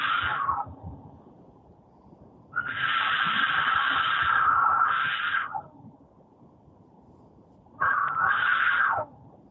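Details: Cougar, said to be a horny animal, heard from a played-back recording: one long, strained, steady scream of about three seconds with a brief break near its end, then after a pause a shorter scream that falls away.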